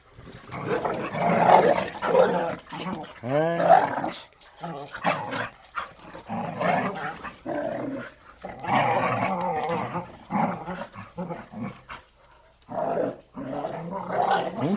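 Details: Korean native Jindo dogs Sundol, Baekho and Ttoksuni during exercise time: a rising and falling harmonic whining yelp early on, among rough growling and barking bursts, while a man talks and calls out to them throughout.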